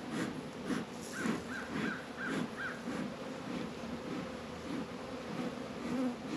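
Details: Honey bees working at their hives in a northern Kentucky apiary on a 72-degree February day, Warre and Langstroth hives. A low droning hum swells and fades, while a crow caws several times in a rapid series in the background.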